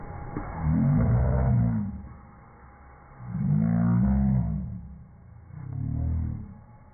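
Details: Django, a Rhodesian Ridgeback dog, growling at a vacuum cleaner he dislikes: three deep, rumbling growls, each lasting about a second, separated by short pauses, over a steady mechanical hum.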